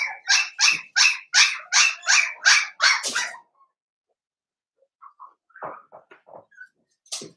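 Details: Blenheim Cavalier King Charles Spaniel puppy in an indoor pen, one of five littermates born at New Year's, giving a steady string of about ten sharp, high yaps, then falling quiet before a few soft squeaks and whimpers.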